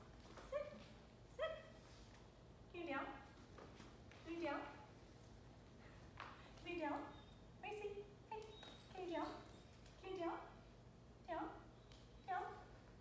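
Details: Young female Rottweiler, seven months old, in training; a string of short harmonic whimpers and yelps, about one every second, some dipping in pitch, with a faint steady hum beneath.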